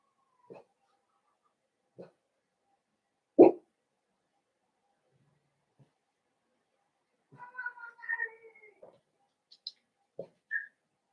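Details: Blenheim Cavalier King Charles Spaniel puppies, a litter of five born on New Year's to Paris and Spike, in the Red Barn Cavaliers puppy pen indoors. They give scattered short yips, then a cluster of high whines and squeaks, with long quiet gaps.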